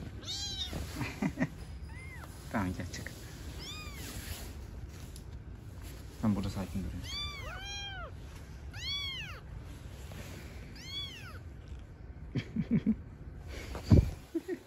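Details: Street-living kittens with their mother cat: a run of short, high, thin mews spread across the scene, clustered around the middle, among rustling, handling noises and a woman's quiet Turkish speech.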